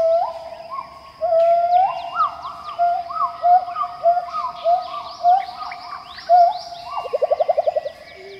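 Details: Pileated gibbons (Hylobates pileatus) in Khao Yai National Park, Thailand, sing pure, whooping low-high notes that swoop up and down, ending in a fast bubbling trill; this song is often given by males.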